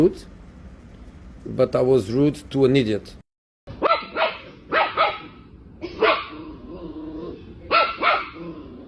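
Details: Household dog from a funny pet compilation: a person speaks first, then after a brief gap come four abrupt, bright barks spaced one to two seconds apart, with faint voices in the background.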